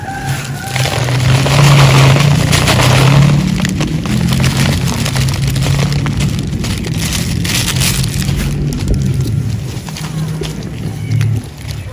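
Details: A loud, steady engine rumble with revving and broadband mechanical noise fills the whole stretch, with no animal voice standing out.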